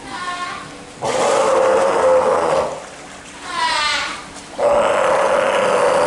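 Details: Steller sea lion pup in captivity at an aquarium in Japan, giving long hoarse bleating calls about a second or more each, three in a row, the middle one higher and more wavering, with faint background noise and a brief voice.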